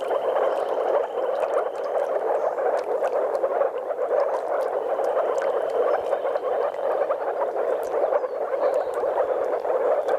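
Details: Breeding moor frogs in courtship, with a few common frogs, at a spawning site in Mecklenburg-Vorpommern, Germany; a thick, steady bubbling chorus of countless overlapping calls, with faint high whistles at times.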